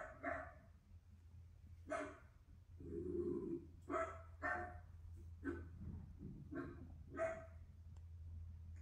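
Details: Miniature Dachshund indoors in Auckland, New Zealand, barking while watching the TV: sharp, harmonic barks in irregular bursts about every second, some doubled, over a steady low electrical hum and faint background voices.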